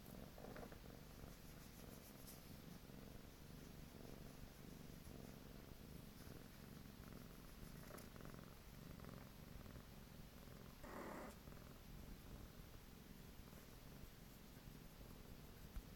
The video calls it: Mruczący kot / Purring cat / 猫のごろごろ / 打呼嚕貓